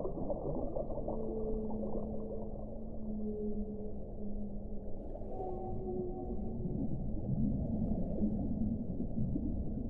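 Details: Underwater whale song with overlapping sustained moans: a long low tone holds for several seconds, then shorter higher notes follow, layered above a continuous low rumble.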